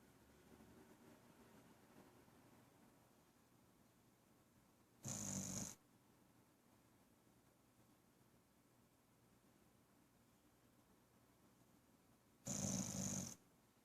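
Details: Pet dog named Bear, female, snoring while asleep: two short, loud, breathy rasping snores about seven seconds apart in an otherwise quiet room.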